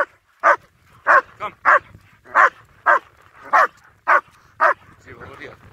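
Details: Two German Shepherds on a winter walk in Hawick, Scotland, recorded on a phone: sharp, regular barks about every half second, mid-pitched and punchy, with a faint voice and soft outdoor background after the last bark.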